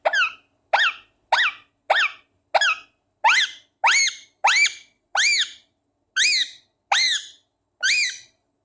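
A run of about a dozen high, squeaky calls, each rising then falling, repeated roughly every two-thirds of a second in a quiet room.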